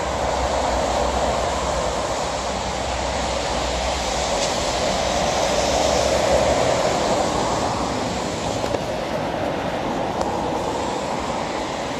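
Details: Steady loud rushing noise, like wind or a passing train, covers the whole stretch with no distinct voice standing out.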